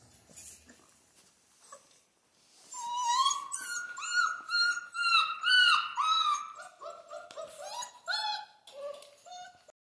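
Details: Indoor Central Asian Shepherd puppies in Michigan start with soft rustling, then break into a long series of quick, rising whines and yips, roughly two per second, stepping lower in pitch toward the end.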